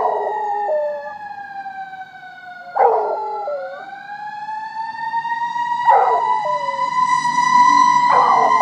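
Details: A Rottweiler howls along to firetruck sirens in long, steady, wavering howls, with short yelping catches between the drawn-out notes.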